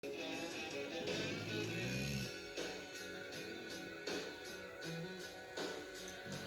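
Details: Television-style music with shifting chords and percussive hits plays throughout, with no animal sound heard.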